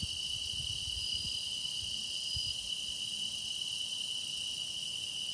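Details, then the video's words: Grass insects singing in a dense, steady chorus: an unbroken high shrill tone with fainter shimmering layers above it, no pauses, and only a soft low rumble underneath. "깊어가는 풀벌레 노랫소리"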